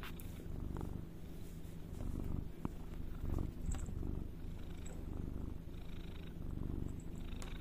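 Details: A cat purrs close up, a low, buzzing rumble that rises and falls with each breath, with faint clicks over the steady drone.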